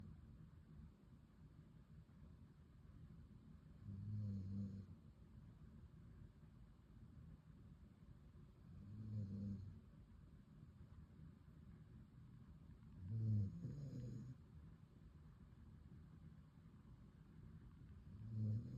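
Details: Pet dog snoring while leaning on a person's leg during a cosy snuggle. Low, rumbling snores come in slow breaths about every four to five seconds, with quiet gaps between them.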